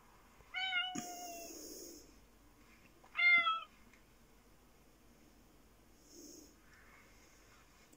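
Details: Japanese black fluffy cat, watched by Sooty, another cat, meowing twice about three seconds apart. Each call is short, bright and slightly descending, the second louder and sharper, with a quiet indoor background.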